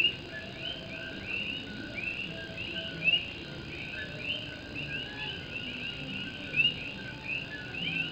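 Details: Night chorus of Puerto Rican coqui frogs in Morovis, Puerto Rico, with rain hitting a tin roof. Many overlapping upslurred whistles blend into a steady shimmer, and a nearer frog's sharp rising note rings out twice.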